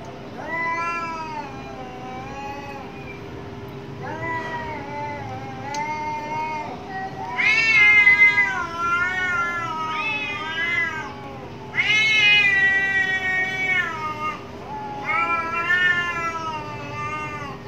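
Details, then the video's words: Cats fighting outside behind a house, trading loud wailing yowls; rich harmonic cries swell and bend in pitch, coming in bursts every few seconds over a constant electrical hum. "CATS FIGHT with their sounds, Angry Cats Fight behind my home"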